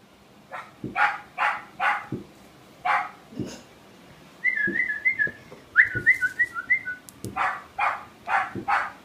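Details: Puppy at play with a hot chip, giving rapid high yapping barks in short runs, while a quick trilling whistle cuts in midway over a noisy background.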